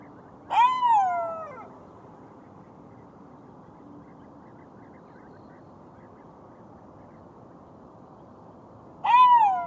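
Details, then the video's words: Golden jackal howling: a wailing, harmonic-rich cry that bends downward, heard near the start and again at the end, separated by a long quiet stretch with faint steady background hiss. "Golden Jackal sound call / תן מילל"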